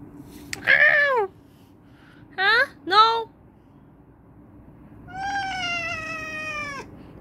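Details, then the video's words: Domestic cat yelling at its owner: two short loud meows with falling pitch, a quick double meow, then a long, steady, drawn-out meow lasting nearly two seconds, over a faint indoor hum. "My cute cat is yelling at me"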